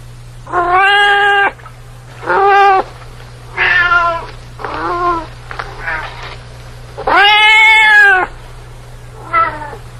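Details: Domestic cat meowing in a series of about six harmonic meows, each roughly half a second to a second long, some longer and drawn out, separated by short pauses, over a low steady hum.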